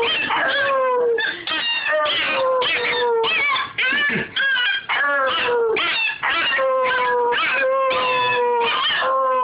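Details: Young dog being taught to howl, producing repeated drawn-out descending howls about every second or two, mixed with higher wavering whimpers and yips in dense, overlapping bursts.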